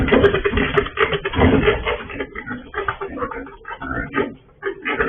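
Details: An escaped sow on a pig farm, heard through a surveillance camera: dense, continuous harsh grunting and snorting in quick overlapping bursts, slightly quieter toward the end, in an enclosed space.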